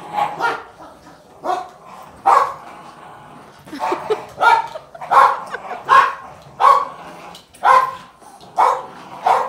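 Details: Two Boston Terriers, an 18 lb female and a 40 lb male, give short, rough barks and growly yaps in quick, uneven bursts during a tug-of-war game.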